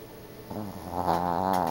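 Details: A sleeping Yorkshire Terrier snoring: a low, rough, buzzy drone that swells steadily louder over under two seconds.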